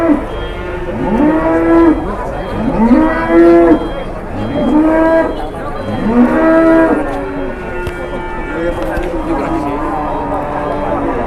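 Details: A large Indonesian cow weighing 826 kg, kept as livestock for qurban, lows in a series of arched, drawn-out moos roughly every two seconds, each rising and falling, with steady background noise.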